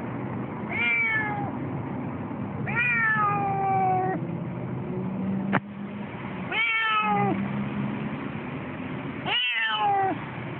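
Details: A Siamese cat, waiting for the tram on the way to the vet, complains persistently with loud, drawn-out meows that slide downward, spaced a few seconds apart.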